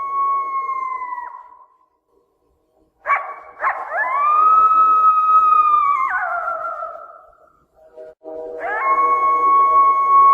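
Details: Coyote howling, said to be in heat: long, clear, drawn-out tones that rise sharply, hold steady, then slide downward, with a brief yip-like onset before each and a silent pause between howls.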